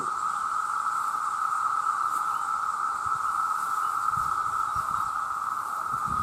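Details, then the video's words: A huge chorus of male cicadas, millions strong, calling loudly for mates. A steady, unbroken mid-pitched drone holds level throughout, with a faint high shimmer above it and soft low rustling beneath. "The Sound of The Cicada"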